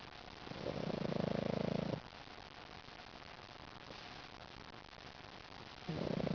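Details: Sleeping, smiling pug named Lil Mac snoring: a rattling snore of over a second, a quiet pause of about four seconds, then another snore begins, with soft background hum.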